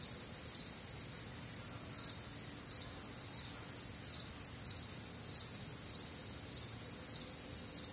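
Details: Night crickets in a humid Midwestern summer, a continuous high chorus with chirps pulsing about twice per second over a steady shrill trill, low faint rumble underneath.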